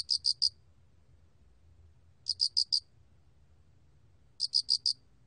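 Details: Mottled cricket giving high, clear four-pulse chirps, three bursts spaced a little over two seconds apart over faint low background noise.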